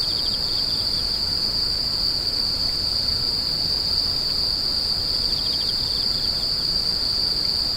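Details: Insects screeching in a steady, unbroken high-pitched drone, with faint pulsed trills rising briefly beneath it at the start and near the end; a soft broadband hiss fills the background.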